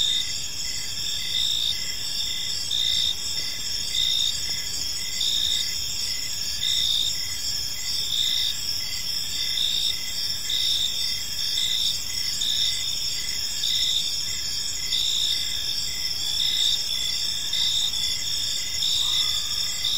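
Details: Crickets in a park on an evening, a steady chorus of high chirping with several overlapping callers pulsing continuously, soft broadband background hiss underneath.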